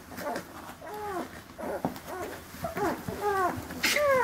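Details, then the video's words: Rhodesian Ridgeback puppies, born on 25 March in Verbania, Italy, at dinner time: a string of short, high, falling whines and squeals, several bunched together, with soft clatter and a few spoken Italian words nearby. "RHODESIAN RIDGEBACK PUPPIES HAVE DINNER"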